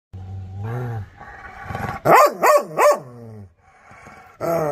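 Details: Angry, aggressive dog giving a drawn-out harmonic growling whine, then three loud, rising-and-falling barks in quick succession, a quieter stretch, and a final loud bark at the end.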